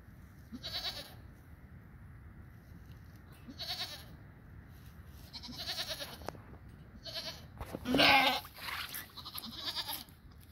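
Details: Domestic goat giving birth, a nanny with her newborn female kid; short wavering nasal bleats recur every few seconds, one louder strained cry near the end, over faint background hiss.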